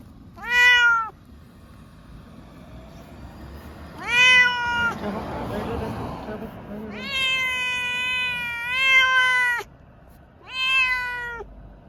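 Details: Pet Munchkin cat, one of a pair taken to a veterinary clinic for blood tests, meowing four times: clear, harmonic, slightly rising cries spaced a few seconds apart, one long and wavering, with brief human rustling between.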